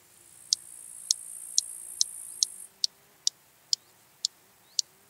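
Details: Song of the large marsh grasshopper, Stethophyma grossum, in Elsbethen, Austria, on 26 September 2021: ten snapping ticks, one about every half second, the first five over a sustained high-pitched hiss that stops midway.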